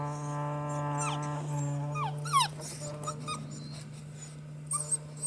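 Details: Fifty-day-old Border Collie puppies, four littermates (two males, two females) born 24 September 2016, romping together; a few short rising and falling whimpering squeaks rise over a loud, steady low electrical hum.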